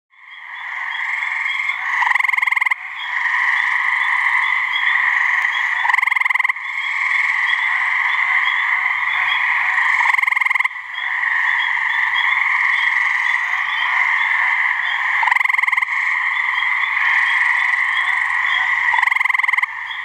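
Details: Gray treefrogs (Hyla versicolor) give their mating call from a swamp in New Hampshire: a dense, steady trilling chorus that runs almost unbroken for twenty seconds, with only a few brief dips and gaps.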